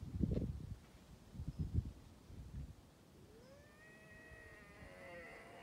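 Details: Bobcat on the Sullivan fire road, Los Angeles, giving a single rising then sustained, wavering tonal yowl in the second half, after soft low knocks and rustling.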